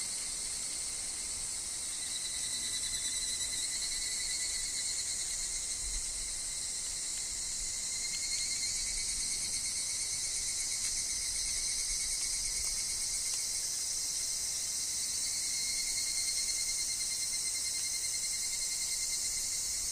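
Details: Higurashi (evening cicada) calling in a woodland, with wind and falling leaves: a steady, shrill, high-pitched insect chorus of layered ringing tones that swell slightly around the middle and end, with no pause across the whole stretch.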